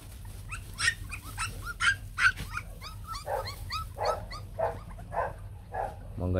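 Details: Young Bac Ha puppies, a white, shaggy Vietnamese native dog breed, calling for their mother: a rapid chorus of overlapping squeaky yips and whines, some bursts curving upward, with faint human talk underneath.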